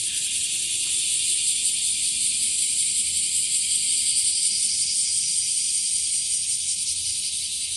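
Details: Bear cicada, locally washiwashi, increasing in numbers and heard in trees and grass: an unbroken loud high-pitched sizzling drone with only faint throbbing, nearly constant in level throughout.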